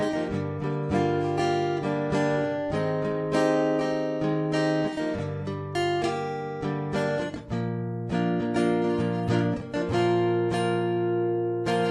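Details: Strummed acoustic guitar music fills the whole stretch with steady chords, and no animal sound can be picked out.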